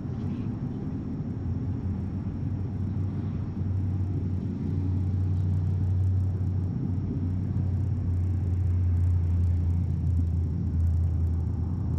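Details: Steady low traffic rumble with no animal calls heard.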